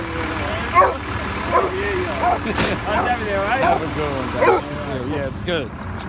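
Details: Basset Hound howling as it greets sanitation workers. Wavering, bending howls rise and fall in short bursts over the rumble of a garbage truck, with a person talking nearby.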